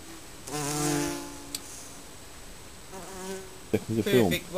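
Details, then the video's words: Honey bees from a colony nesting under a garden shed; a loud droning buzz swells and fades over about a second as a bee passes close, a second quieter pass follows, then clattering knocks. "Bees abuzzing Honey Bee"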